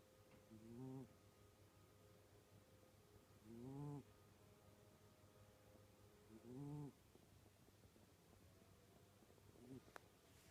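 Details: Domestic cat named Puma snoring while asleep, from a household where all the cats snore; four low, wheezy, slightly tonal snores arrive roughly every three seconds over a steady faint hum.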